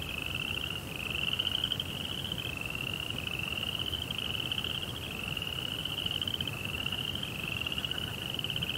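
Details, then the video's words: Cricket chirping at night: continuous, finely pulsed high-pitched trills in linked phrases of one to two seconds, with a soft low background hum and no music. "2 Hours of Serenity with Cricket Sounds"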